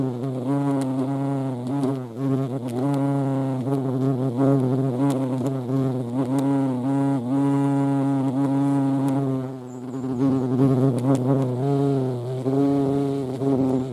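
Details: European hornet (Vespa crabro) at a feeding place, a steady low droning buzz with wavering pitch, swelling and fading as insects move about, lasting throughout.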